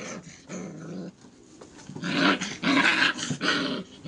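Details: Airedale Terrier puppies, five weeks old, at play with a person: quiet growling at first, then louder harsh, noisy growl bursts about every half second near the end.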